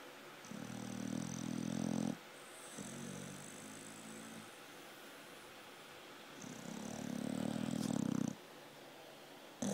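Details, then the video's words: Pit bull, an American Staffordshire Terrier, snoring in a deep sleep: low rumbling snores in long drawn-out breaths of about two seconds each, separated by quieter pauses. "Snoring Pitbull, Dozer in a deep sleep"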